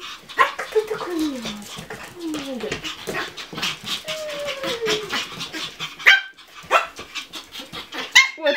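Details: Pomeranian spitz puppy giving short whiny yelps and higher barks, several falling whimpering tones between them, while a woman talks and praises it.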